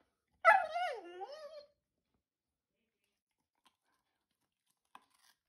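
A Vizsla gives one drawn-out, wavering whine that starts high and slides downward.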